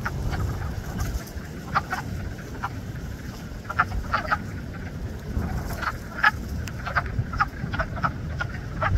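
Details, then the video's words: Frogs calling in spring at Blue Cliff, a chorus of scattered short croaks and clicks spaced irregularly over a low, windy rumble. "Frog concert at Blue Cliff"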